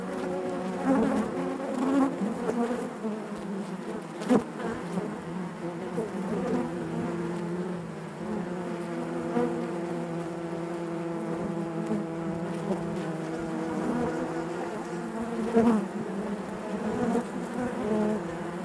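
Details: Dense humming of many honey bees within the hive, a sustained low buzz rich in overtones, with occasional short louder buzzes from nearby bees.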